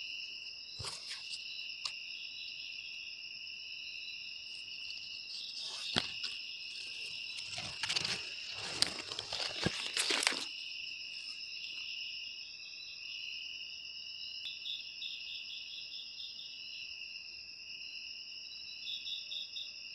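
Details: Continuous high cricket trilling with faint pulsed chirps. Loud crinkling, rustling bursts interrupt it in the middle before the steady insect chorus resumes alone.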